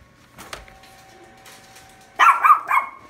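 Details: A Shih Tzu barks at pictures of dogs on a calendar, a quick burst of two or three sharp, high, yappy barks after a quiet start.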